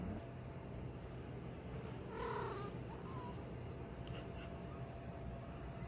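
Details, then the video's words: A domestic cat waking up after sleeping gives a soft, brief harmonic trill followed by a tiny rising squeak, against a constant low background hum indoors. "Cat Makes Cute Noises When They Wake Up After Sleeping"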